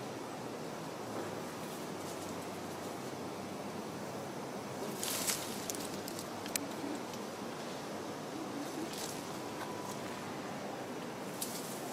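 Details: Steady rustling and faint outdoor ambience fill the recording, with a few short clicks and scrapes. No distinct animal voice stands out.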